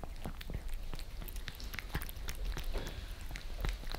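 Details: Maine Coon Lissy and British Shorthair Fritz, house cats in Germany, lapping creamy treats from a glass tabletop filmed underneath; rapid sticky tongue clicks and soft smacks, several per second, with a quiet room hum beneath.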